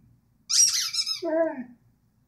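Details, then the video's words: Rhodesian Ridgeback giving a short sung vocalisation indoors: a high squealing yelp that drops into a lower, wavering whine-like tone, lasting about a second and a quarter. "singing ridgeback"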